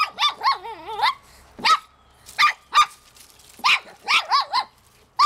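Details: Francie, a pet Shih Tzu, barks excitedly while trying to catch a fish by a pond. Short, sharp barks come in quick bursts, mixed with wavering, rising whines, with brief pauses between volleys.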